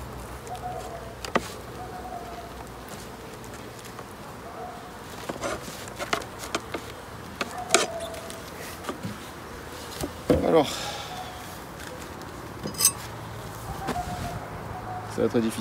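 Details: Honey bees at a hive inspection at the end of summer, 22 September: a faint, steady buzzing hum of flying bees runs throughout, broken by sharp clicks and knocks from handling the hive and short bursts of a man talking.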